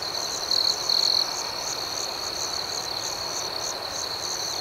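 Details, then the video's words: Crickets calling at night with a sustained high-pitched buzz and regular pulsing chirps, interrupted early by two short, louder trilled bursts. "Soothing Cricket Sounds"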